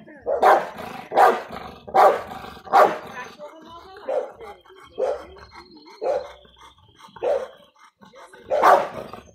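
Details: A Big Bully-type American Bulldog gives deep, loud barks in a loose series, roughly one every second.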